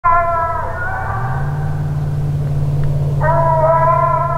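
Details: Six-month-old Phrogger hound pup on its fourth night out, coming treed at night: long, loud, sustained bawls with stacked harmonics, one drawn-out cry broken by a short gap before another starts, over a steady low engine-like hum.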